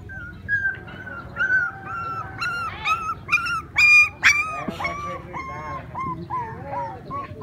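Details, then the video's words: Puppies playing and crying: loud high-pitched whines and yelps, short wavering squeals about twice a second, some sharper yips mid-way, close and clear. "Puppies playing and crying"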